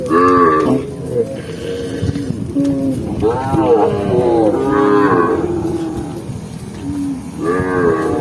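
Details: Tame cows moving through rural mountain scenery in the afternoon, lowing in repeated drawn-out moos that swell and fade, several animals calling in turn over a continuous rustling background.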